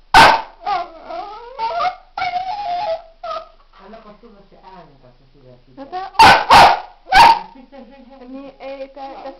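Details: Female pet dog mixing short barks with sliding, whiny vocal sounds, quieter low murmurs in the middle, then three loud sharp barks followed by softer whining tones.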